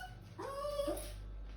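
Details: A poodle scared of high stairs gives a single short whimper, a thin tone that bends up and levels off, with a woman speaking softly nearby.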